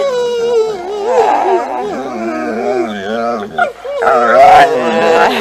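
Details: Mollie, a pet dog learning to 'talk' for about a week and said to produce 'momma', gives a long, wobbling, singsong howl-like moan with rapid pitch wavers, briefly interrupted, then resuming louder and higher.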